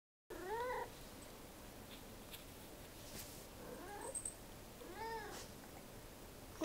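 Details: A cat meowing three times, each call a short arching, harmonic-rich note, with long pauses between them; the background is a faint, steady hiss with a few light clicks.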